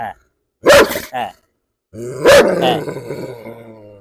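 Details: Two gruff barks about one and a half seconds apart from a German Shepherd, one of five dogs at a Perumbavoor home, during a stranger-provocation dog challenge. A low rumbling growl-like tail and background voices follow.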